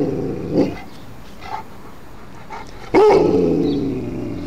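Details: A male Alaskan Malamute reacts to ringing church bells. Faint short sounds come first, then an abrupt loud vocal onset trails into a slowly fading, harmonic growl-howl.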